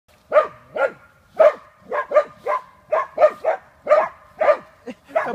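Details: Hunting dachshund Chuka baying at a wild boar: rapid, hoarse, mid-pitched barks, roughly two per second, some doubled in quick pairs, with short gaps between bursts.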